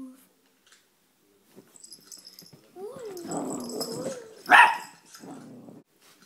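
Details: Nine-month-old male Chihuahua at play on a couch indoors, phone recording: a rising and falling whiny growl lasting over a second, then one sharp bark and a lower rumbling growl, with faint rustling before.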